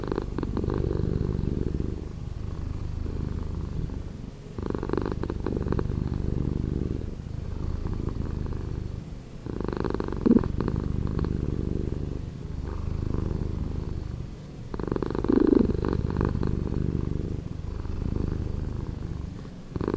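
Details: Slowed-down purr of a house cat, a deep rumbling drone in long phrases of a few seconds each, separated by short softer dips as the cat breathes.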